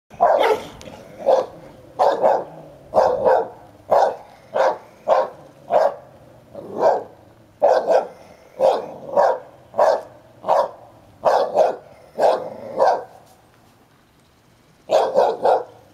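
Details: Ten-year-old male Hovawart guarding his toy while a one-year-old American Staffordshire Terrier roughhouses with him: a steady run of gruff, mid-pitched barks roughly every half second to second, pausing briefly before a final pair.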